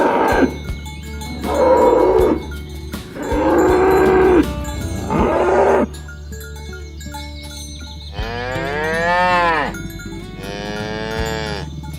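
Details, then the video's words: Free-ranging village cows herded toward their pen through a rice-field ditch; a run of rough, overlapping moos gives way to two clear, arching moos, with steady chiming tones underneath. "Bunyi sapi lucu"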